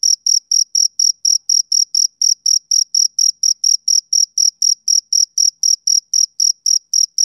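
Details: A male cricket chirps through a summer evening, sharp high trill-like pulses falling in a quick, steady beat of about four per second, alone in otherwise quiet surroundings.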